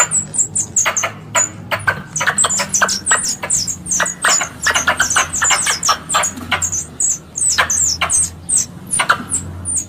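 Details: Squirrel lure call for hunting: busy, overlapping volleys of harsh chipping notes with shrill downward squeaks, several per second, over a quiet rumbling background hum.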